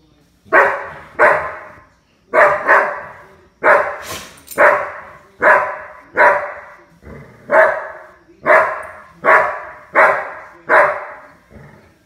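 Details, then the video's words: Playful puppy barking: about fourteen sharp, bright barks, mostly in close pairs, with brief pauses between groups and a quiet background. "Play Like a Puppy"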